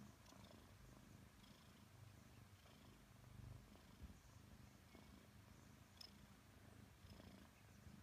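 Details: Purring from Nelson, a Maine Coon aged five months, during cuddles with his owner: a quiet, steady low rumble cycling evenly, with brief faint clicks and rustling.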